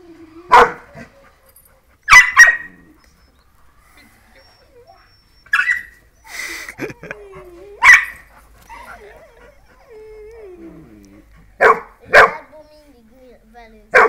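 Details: Barks from a German Pointer and a Dachshund facing off, short sharp bursts in twos and singles spread over fourteen seconds, with quiet whines and a low sliding whimper between them; a person says hey.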